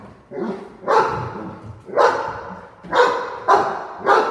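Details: Cane Corso in a staged home invasion role play indoors, giving heavy booming barks about once every half second to second, with faint voices underneath.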